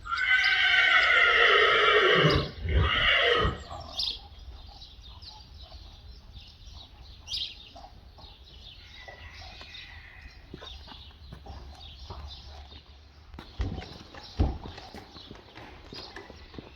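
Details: Friesian horse at a training stable in the Netherlands, before its inspection. A loud, rich whinny lasts about three and a half seconds, shaking and trailing off. It is followed by quiet stable sounds and scattered hoof knocks.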